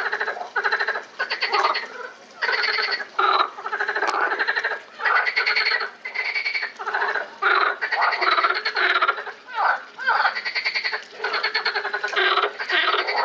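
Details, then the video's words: A group of frogs in the Lausanne botanical garden, 20 April 2018, producing a steady chorus of harsh, rattling pulsed croaks in repeated bursts with short breaks between them. "Frogs at the Botanical Garden, Lausanne"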